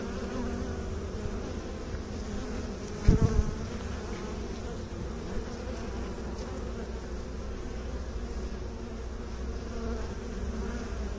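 Honey bees produce a continuous low, buzzing drone with a layered, humming quality that barely changes in pitch. A single short thump interrupts early on, then the even hum carries on unbroken.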